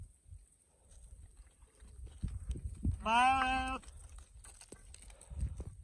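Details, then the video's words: Sheep giving one loud, quavering bleat of under a second in mid-clip, its voice wavering and strongly tonal, set against low rumbling, thumping and handling noise that continues before and after. "Real sheep sound || sheep baaing || sheep loud noise"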